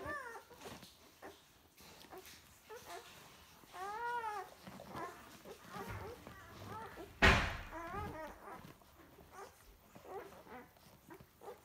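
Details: Nine Irish Wolfhound puppies of one litter at feeding time: repeated short arched whines and squeals from several pups, with low rumbling noises and a sharp knock midway.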